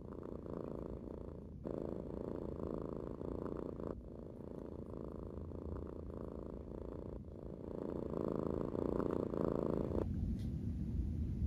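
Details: Kiki, a pet cat lounging in a brown bag on a carpet, purring contentedly while her chin, ear and neck are rubbed. A steady low rumbling purr breaks briefly every two to three seconds with each breath, then softens near the end.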